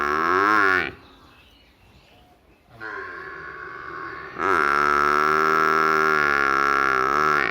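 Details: Buffalo calf from a village with a short harmonic bawl, a quieter middle call after a pause, then a loud sustained bawl held steadily for over three seconds.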